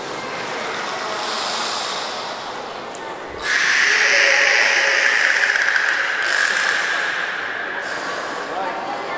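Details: At Port of Nagoya Public Aquarium in Japan, during training of belugas Nana and Mirai on 6 May 2017, a long level whistle starts abruptly mid-clip and holds for several seconds with rich overtones, amid spectator chatter and reverberant indoor noise.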